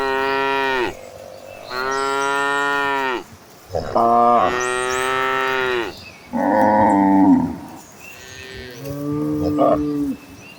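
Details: Cows in a herd heading to green pasture give a run of loud, drawn-out harmonic moos, about five calls in ten seconds, each lasting one to two seconds, some bending downward at the end.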